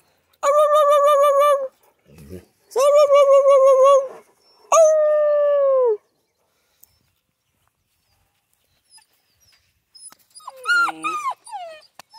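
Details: Central Asian Shepherd puppies in Michigan giving long, loud, wavering whines and yelps, three drawn-out cries in the first six seconds, then a quieter burst of squeals near the end.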